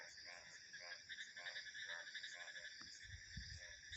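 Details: Frog croaking in a nighttime-style ambience, harsh pulsed calls repeating roughly every half second, set against steady high crickets and insects trilling in several bands, with low wind rumble toward the end.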